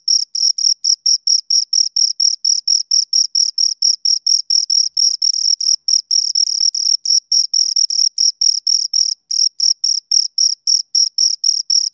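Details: Pair of crickets producing a steady run of shrill chirps, brief pulses following each other rapidly and evenly across the stretch, with a thin higher harmony; nothing else audible.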